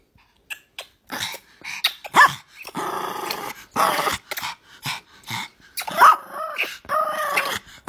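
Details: A Pomeranian puppy gives short, high yappy barks mixed with brief growly sounds.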